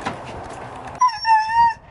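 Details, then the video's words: Meeka, a female Siberian husky, being given a bath at a groomers by her owners; a short, steady, high whining cry lasting under a second, slightly wavering in pitch, following a brief burst of muffled noise. "Grooming My Husky Goes Wrong! (SHE SCREAMS)"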